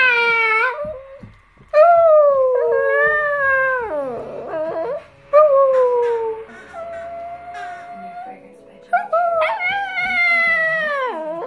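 A small Chihuahua gives a run of thin, drawn-out howls, each bending in pitch and trailing off into a whimper. The voice dips lower and warbles midway before rising into brighter, sustained notes again.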